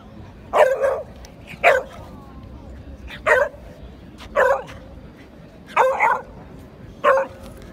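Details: A Beagle at the Van Gogh Museum, Amsterdam, in 2017, "sings" to a Samoyed throughout the meeting, giving a series of short, yelping bays about one every second.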